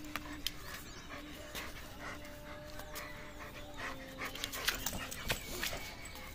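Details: German Shepherd dog playing with a rope, panting in quick breathy bursts with sharp clicks and thumps from the play, and a faint steady tone underneath.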